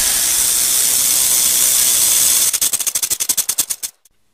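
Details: Rattlesnake buzzing steadily, then the rattle slows into about fifteen distinct clicking beats over a second and a half before stopping into silence.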